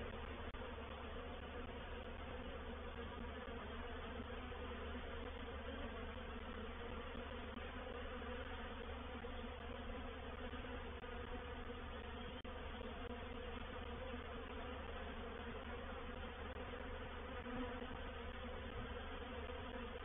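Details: Reproductive swarm of honey bees settling into a bait hive at Painted Peacock Manor, dated 04/07/21; a long, steady mass of buzzing wingbeats forms an unchanging low hum for the whole stretch.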